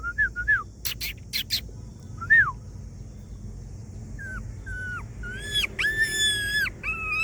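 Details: A homeless dog whimpering as if asking for help: sparse high, thin whines that bend downward, a few short clicks, then a run of sustained whines with slight falling ends, over a low steady background hum.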